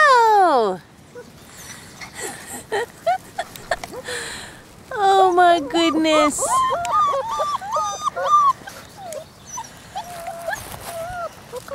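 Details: Orphaned Bernese Mountain Dog mix puppies, 33 days old, outside with a few adult dogs: a long falling whine opens, then rapid bursts of high wavering yips and whimpers, loosely repeated, with pauses of quiet rustling.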